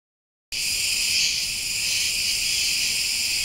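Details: Cicadas, with a butterfly also noted, recorded on what appears to be 20 September 2013 (dated 130920), give a steady, high, hissing buzz that runs on without a break.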